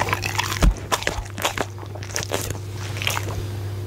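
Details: Punte, a goldendoodle, eating steak and egg for dinner indoors, recorded on a Blue Yeti microphone: sharp wet crunches and bites in quick irregular bursts, one loud snap near the start, over a steady low electrical hum.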